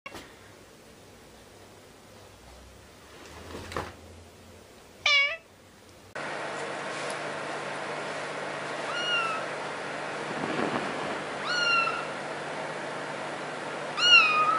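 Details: Domestic cats and a kitten in a compilation; several short high meows, first a falling kitten cry near five seconds, then repeated thin meows roughly every two to three seconds over steady background hum.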